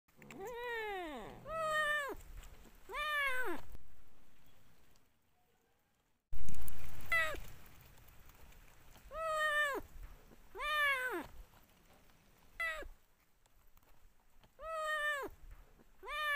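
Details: Cat meowing after eating a pufferfish: repeated loud, drawn-out meows, each rising then falling, roughly every one to two seconds, with a brief silent gap and a burst of rustling noise midway.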